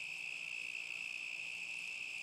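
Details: Crickets in summer 2010; continuous high-pitched trill holding one steady note, unbroken, with a faint low hum in the background.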